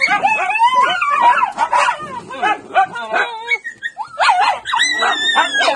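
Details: Several Miniature Dachshunds kept by a breeder give a dense chorus of overlapping high whines, yelps and howl-like wails that slide up and down in pitch, with no pause between callers.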